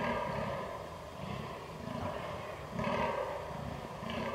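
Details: Fallow deer in rut, recorded 22 October 2022 on a Canon R6: a string of deep, guttural belching groans, about two per second at first, then louder, rasping grunts toward the end.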